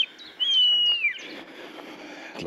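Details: A Sika deer whistle, added as an example of calls heard in Irish forestry deer country: a single high, clear whistle that holds steady, then dips sharply at the end.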